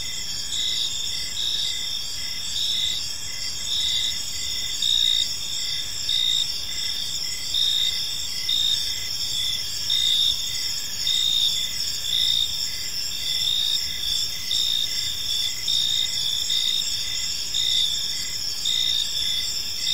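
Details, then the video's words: Evening cricket chorus in a peaceful park: continuous shrill trilling, layered high tones throbbing in brief repeated pulses about once a second, the loudness rising and dipping gently over a faint steady hiss. "Cricket Sounds in a Peaceful Park"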